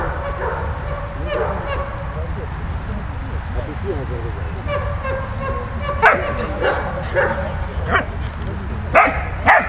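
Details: Malta, a dog, at play with Bulat, giving soft whining yips that build into a few sharp, louder barks near the end, with a low background hum throughout.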